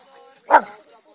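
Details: Rhodesian Ridgebacks playing and having fun; a single short, sharp, punchy bark bursts out mid-clip over a quiet background with faint low murmuring.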